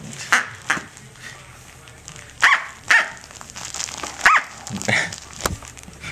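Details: Tic-tac, a female Corgi puppy about 6-7 weeks old, plays with her toy duck, giving short, high, yappy barks, about five in six seconds, irregularly spaced, over soft household background noise.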